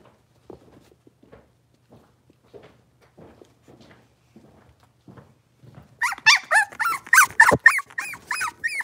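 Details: Blenheim Cavalier King Charles Spaniel puppies, a litter of five born at New Year's, moving into a bigger indoor pen: quiet shuffling, then a burst of high arched whines and yelps, about three per second, in the last three seconds.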